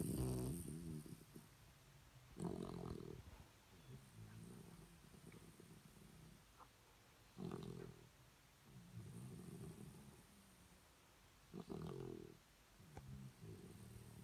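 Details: Shih Tzu dogs snoring: low, rasping snore breaths repeated roughly every two to five seconds, alternating louder inhales with softer rumbling exhales in a quiet room.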